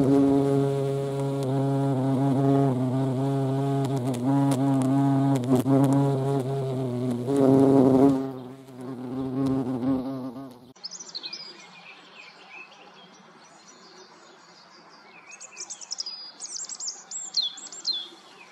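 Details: European hornet (Vespa crabro) at a feeding place drones with a loud, low harmonic buzz for about ten seconds, then moves off, leaving faint background with thin high bird chirps.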